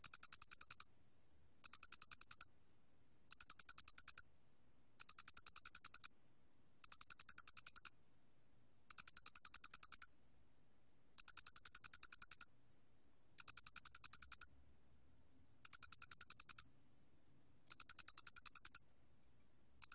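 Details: Square-headed cricket recorded in 2020 for Korea's National Institute of Biological Resources: clean, high chirping trills, each a burst of about a dozen rapid pulses lasting roughly a second, repeated after short pauses; no other sounds.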